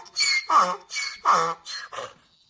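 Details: A donkey brays in quick alternating bursts, a high wheezy note swapping with a lower rasping one.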